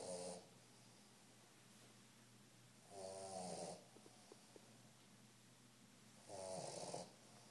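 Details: Three-month-old Old English Bulldog puppy snoring while asleep indoors: harsh raspy snores roughly every three seconds, each about half a second to a second long, quiet breathing between.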